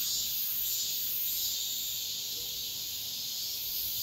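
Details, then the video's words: Dawn cicada chorus in midsummer: a dense, unbroken hissing drone high in pitch, with faint wavering swells and a low background rumble outdoors. "새벽매미소리를 들어보자"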